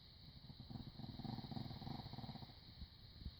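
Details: Snoring from Chino the dog, a rapid fluttering low rattle with buzzy pulses through most of three seconds, backed by a constant high-pitched hum.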